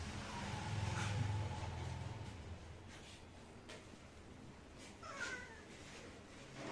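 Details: A cat meows: a faint, drawn-out cry in the first seconds, then a short, falling meow with clear overtones near the end. A low background rumble runs underneath.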